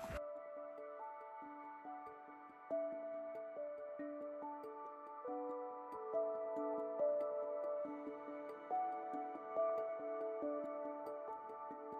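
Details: Only soft ambient instrumental music with gentle ticking tones is heard, with no animal calls.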